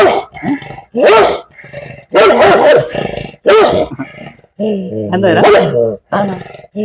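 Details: An 11-year-old dog, described as angry, growls and barks in a run of loud, rough bursts about a second long with short gaps between them, and people are heard nearby.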